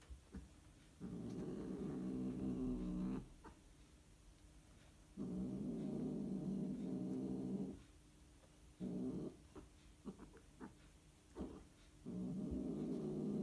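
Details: Mating Scottish Fold cats trade long, throaty growling wails lasting up to three seconds, separated by short silences, with a few clipped, stuttering cries near the middle and end.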